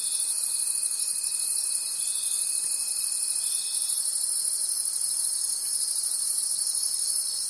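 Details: Crickets at night in the forest: high, fast-pulsing overlapping trills from many insects, plus a steady lower whine lasting nearly four seconds before fading out, leaving only the shrill chorus.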